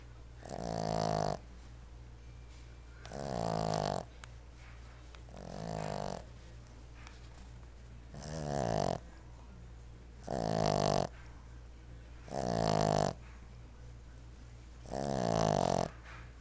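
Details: Willie, a roughly seven-month-old Boston Terrier puppy, snores while napping in slow, raspy bursts roughly every two and a half seconds.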